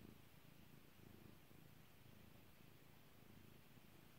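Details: Being petted, the cat Kairi gives a close, steady low purr, rhythmic rumbling pulses with constant background hiss.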